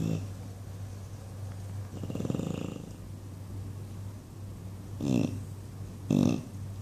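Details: Sleeping English Bulldog Buddy, dreaming indoors, makes one drawn-out rattling snore followed by two short, sharp snorts near the end, against a quiet steady hum.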